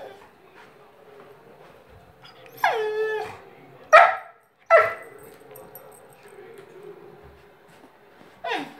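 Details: Two-year-old golden retriever whining because it wants to play: a drawn-out, wavering whine with falling pitch, then two short sharp yelps about a second apart and a final yelp near the end, over quiet room noise.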